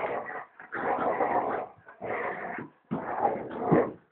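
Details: A big dog and a puppy play-fighting indoors: four dense, rasping growl bursts, each roughly half a second to a second long, separated by short gaps.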